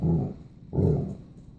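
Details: Basset Hound talking to its owner: two short, deep grumbling rumbles, the second rising briefly then trailing off, with a woman speaking affectionately just before and after.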